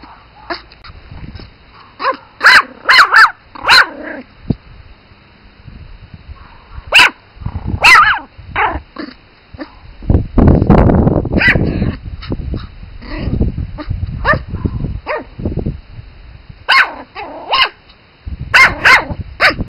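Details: Pomeranian Spitz puppies barking in scattered bursts of shrill yaps over twenty seconds, with quieter gaps, a stretch of rustling and handling noise midway, then renewed rapid yapping toward the end.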